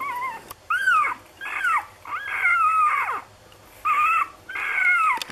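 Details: A six-day-old Lagotto Romagnolo puppy from an A litter in Hamburg whines in long, drawn-out, high squeals that bend downward, about six cries with brief gaps between them, over a quiet hum.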